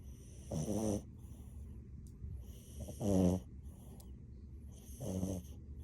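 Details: A French Bulldog asleep and snoring; three rasping, rattling snores about two seconds apart, each roughly half a second long, over a low background hiss.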